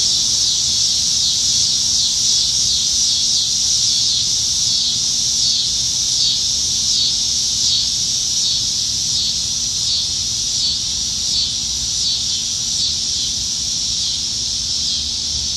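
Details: Cicada chorus from trees in Nebraska on a summer evening, July 2019, at the peak of summer: shrill, sustained buzzing with rapid rhythmic pulsing that rises and ebbs in waves, a faint low hum underneath.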